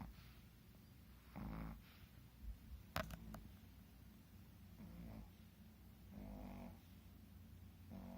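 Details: Shih Tzu dogs snoring while asleep, two of them snoring in turn; soft, low rasping snores come in short bursts about every one to two seconds, separated by quiet breathing, with a brief click partway through.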